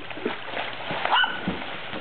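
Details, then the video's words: Small yappy dog on a pool floatie, described as not happy, giving a brief high-pitched yap with ringing harmonic tones about midway, among splashing water and background noise. "Yappy Dog on floatie"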